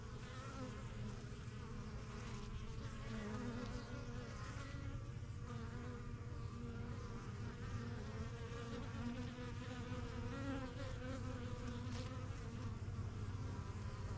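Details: A busy yellow hive of honey bees in a backyard, first kept in spring 2023, with bees flying in and out as they get used to their new home. Continuous layered droning hum, steady and unbroken throughout.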